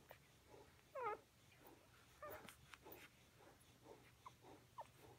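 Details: Mother dog with her pups indoors: a few short, high squeaky whimpers, the loudest near the start, followed by fainter brief squeaks and soft rustling.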